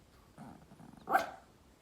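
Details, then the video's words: Small Pomeranian dog outdoors giving a funny bark: a soft, low grumbling rumble first, then one sharp, loud yap near the end, with quiet background otherwise. "The small Pomeranian dog makes a funny barking sounds outdoor"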